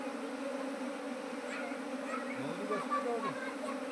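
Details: Kept honey bees from a beekeeping operation that grew from one hive to nineteen colonies in two months; a steady low droning hum with layered tones, and a brief wavering voice-like sound near the end.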